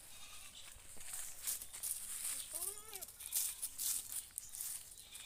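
A goat gives a single short, wavering bleat that rises and falls, over a hissing background.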